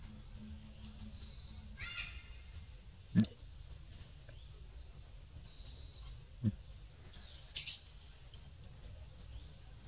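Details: Baby monkey stuck in the fork of a tree, calling for its mother: a short harmonic squeal early on, two sharp clicks, then a thin high-pitched squeak, all over a steady low rumble.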